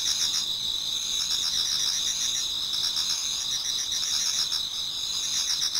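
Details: Many autumn insects singing toward dawn in a Japanese garden: dense, continuous high-pitched trilling in two steady bands, with faster pulsed chirps repeating over the constant drone.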